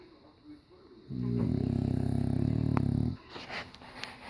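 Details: Loud snore from an English Bulldog asleep in diapers, one deep, fast-fluttering rattle held for about two seconds over faint background hiss.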